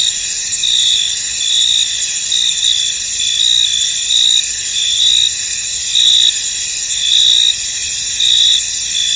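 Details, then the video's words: Crickets chirping in a misty field, a bright high-pitched continuous chorus broken by louder pulsed chirps about once a second, with no other sounds. "Tranquil Cricket Sounds In An Misty Field"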